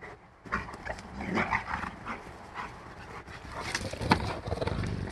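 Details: A five-month-old Rottweiler, playing with a five-year-old dog, growls in play, a low, rough rumble rising and falling in short surges.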